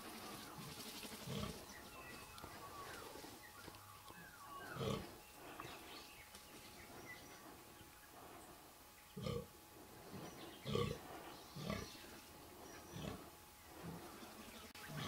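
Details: Fallow deer buck with pointy, slightly palmated antlers and good guard tines gives deep, belching groans during the 2014 rut, spaced irregularly a few seconds apart.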